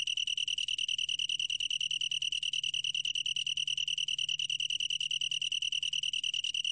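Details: Unbroken high-pitched trill from a long-tailed tree cricket, quick pulses repeated very evenly at one ringing pitch, chime-like in quality, with only a faint low hum in the background.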